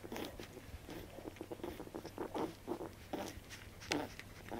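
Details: Baby Welsh corgi puppies drinking their mother's milk indoors, recorded 15 June 2013: wet, rhythmic suckling and smacking noises in quick irregular bursts, roughly one or two per second, over a low steady hum.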